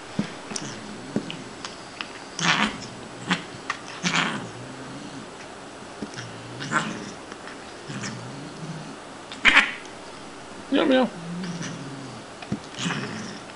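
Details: Female Siamese cat named Shiloh, born behind a grocery store and taken in as a kitten, playing indoors with a toy on a plastic stick; short harmonic yowls and growl-like calls in scattered bursts, with clicks and rattling knocks between.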